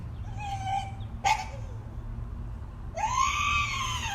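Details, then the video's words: Dog giving strange, dinosaur-like noises: a wavering held cry, then a sharp brief yelp, and after a pause a long, loud scream that arches up and falls away, with low background hum. "Dog making strange noises, sounds like he's from Jurassic Park."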